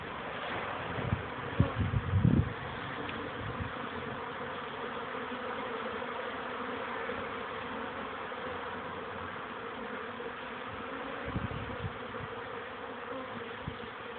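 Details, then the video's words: Honey bees, young workers on their first orientation flights, recorded 13 May 2013 at 14:04 on a warmer afternoon after several cool, rainy days. A dense, steady hum from many bees, with a few low thumps early on. "oblot młodej pszczoły"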